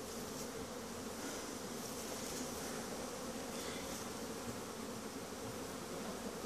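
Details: Honey bees in winter making a cleansing flight at Langstroth-Root hives. A dense, steady hum of many bees continues throughout, with a low droning body and a fainter high-pitched hiss above it.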